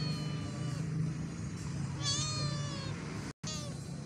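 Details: A hungry domestic cat eating a bowl of chicken porridge gives a clear, rising-then-falling meow about halfway through. A shorter meow follows soon after, over a steady low hum and faint background music.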